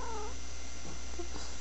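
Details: A female domestic cat that sometimes makes a weird noise while rolling around on the floor opens with a short, falling, whine-like yowl lasting a third of a second, followed by soft faint sounds in a quiet room.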